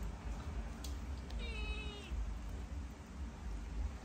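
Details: Cat in Cambodia, displeased at getting vitamins and trying to run away; a single clear, level, slightly descending meow lasting under a second, amid low rumbling background noise.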